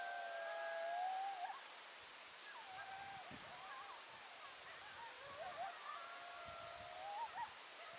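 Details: Several coyotes calling at sunset on Nov 2, 2022, a chorus of wavering, sliding howls and yips overlapping through the clip, pitches gliding up and down, over a steady hiss of background noise.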